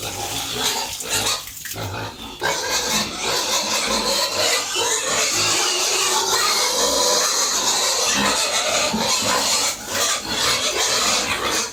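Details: Farm pigs being fed at home, producing a dense, steady wall of overlapping squeals and harsh grunts for nearly the whole recording, after a short quieter gap near two seconds.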